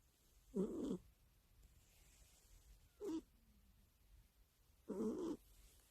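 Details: A house cat asleep and snoring, as it does nightly next to its owner's ear; three rasping, buzzy snores, the first and last longer, the middle one short, separated by quiet indoor pauses.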